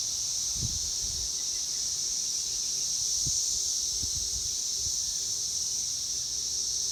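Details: Periodical cicadas of 2021 in Indiana, USA, males calling for mating, fill the air with a steady, high, shimmering drone that never pauses.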